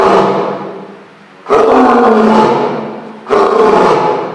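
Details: Sora, an eleven-year-old male lion at Higashiyama Zoo in Nagoya, recorded on a Sunday in June 2023 from his back room, roars as visitors gather; two loud, deep drawn-out roars, each fading slowly, the second starting about halfway through.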